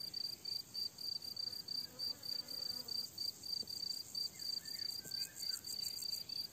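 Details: Summer meadow crickets giving rapid, regular high-pitched chirps, roughly three pulses per second, while a distant bird whistles softly behind them.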